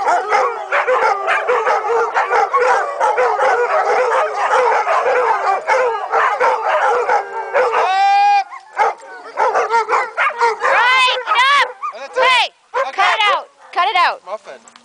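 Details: A pack of dogs howls together: overlapping wavering howls and yips fill the first eight seconds, then rising and falling individual howls with short breaks, some sliding upward in pitch, continue to the end.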